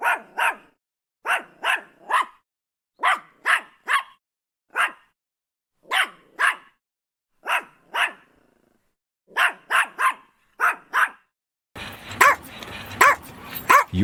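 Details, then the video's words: Yorkie barking repeatedly, sharp yapping barks in clusters of two or three spaced about a second apart across the recording, ending in a burst of rougher, noisier barking with background hiss. "Yorkshire Terrier Dog Barking Sound Effect [ Yorkie Barking ]"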